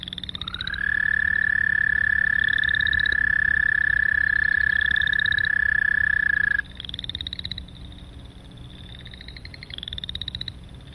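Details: American Toad, a species of varied terrestrial habitats whose very long monotone trill can last up to 30 seconds: a steady, high, even trill runs about six seconds then stops, while other frogs trill in shorter, higher bursts behind.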